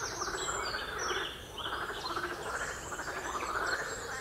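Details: Frogs on the Royal Military Canal near West Hythe give loud, buzzy, rattling croaks in close succession, pulsing steadily with brief dips, against faint high bird calls.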